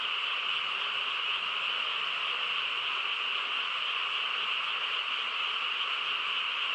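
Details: Frog chorus on a quiet countryside night: a dense, unbroken wall of overlapping calls forming a steady high buzzing drone with no pauses across the whole stretch, and no other clear sounds.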